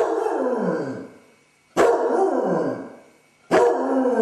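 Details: Dodger, a basset hound suffering separation anxiety after his owners leave, gives drawn-out mournful bays, each starting abruptly and sliding downward for over a second, three in a row with short pauses.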